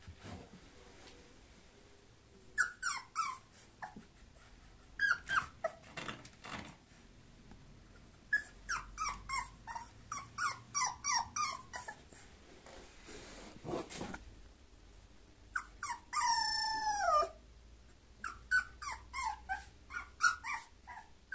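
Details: Bulloxer mixed-breed dog indoors: bursts of short high whimpers and yelps in quick runs, separated by quiet gaps, with one longer wavering whine in the second half.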